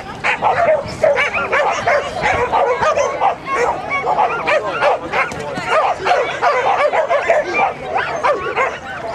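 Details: Border Collie competing in Graded 1-4 Jumping agility at Newark Showground, Border Collie Club of GB, 21/3/10; nearly continuous excited high barking and yips throughout, with faint voices underneath.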